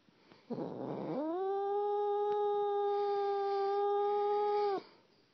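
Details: A cat making weird noises: one sustained, flat, strongly tonal yowl lasting nearly four seconds after a rough breathy onset, ending abruptly, with little else audible.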